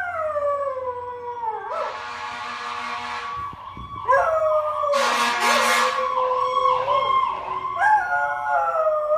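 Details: Dog howling along as a fire truck passes with its siren blaring, which happens every time one goes by: long, wavering, sliding tones rising and falling, tangled with the loud, steady wail of the siren throughout.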